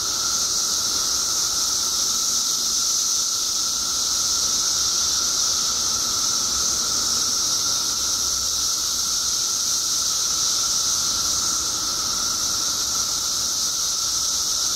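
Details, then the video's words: Chorus of billions of periodical cicadas newly emerged after 17 years underground in Illinois, a relentless high buzzing drone layered over a steady lower-pitched whine, constant in loudness for the whole stretch. "Billions of Periodical Cicadas Emerge After 17 Years Underground Cicadas Making Noise"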